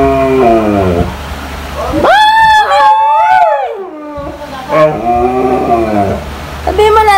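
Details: Female Siberian Husky calling her owner to go out, giving drawn-out, wavering howl-like vocalizations. A short rising note leads into a long arched wail that climbs and then slides down, followed by further bent, talking-style moans.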